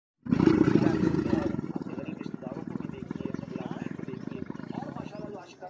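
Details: Camel breeding sound during mating; a deep, loud, rumbling roar with a rapid gargling pulse, starting strong then fading slightly while continuing throughout.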